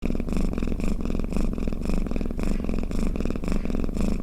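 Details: Domestic cat snoring, a steady low rumbling purr with soft rhythmic pulses about twice per second, continuous and close, no other sounds.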